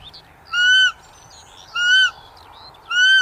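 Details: Three clear, high, slightly rising-then-falling tonal cries from a roe deer, spaced about 1.2 seconds apart and each lasting around a third of a second, over a faint background of chirping birds.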